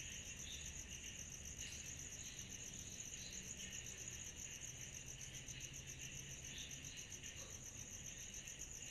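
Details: Summer-night cicada chorus, many insects together producing an unbroken shrill pulsed trill and a lower rasping band, with brief swells in the lower buzz and a quiet low rumble underneath.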